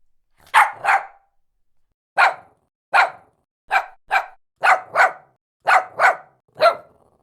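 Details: A Shih Tzu dog barks in clean repeated bursts, often paired in quick doubles, after a short pause near the start; no other sounds stand out.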